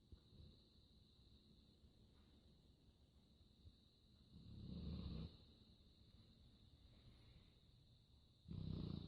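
A sleeping Labrador gives two loud, rumbling snores about four seconds apart, each lasting roughly a second, over a steady high-pitched hum.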